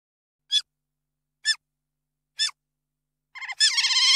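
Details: Otter giving three crisp high chirps about one second apart, then breaking into a stuttering run that swells into a loud, sustained, quavering squeal.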